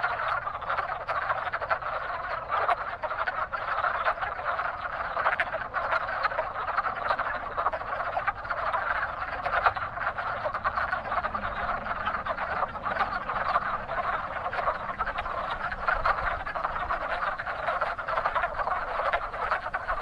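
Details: Spring chorus of wood frogs at a busy breeding pond: many rapid, duck-like clucking croaks overlapping without pause, forming a steady rattling wall of sound.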